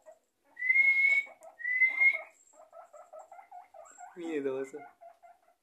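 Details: Guinea pig whistling for its food, two long upward-sliding whistles followed by a run of short repeated squeaks and a brief burst of chatter at the end, indoors.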